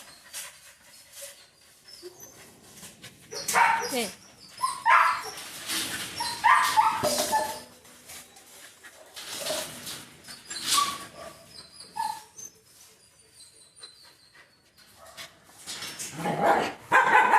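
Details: Labrador Retriever barking and whimpering in scattered bursts, some short and sharp, others drawn out and whiny, separated by quiet gaps, with human speech mixed in.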